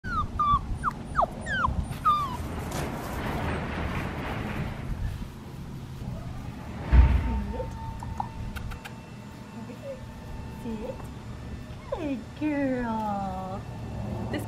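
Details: Six-week-old black tri female Australian Shepherd puppy, recorded in Oklahoma on 25 November 2019, giving high, falling whimpers and yips in short bursts near the start and again later, with a steady background hum and a person's voice.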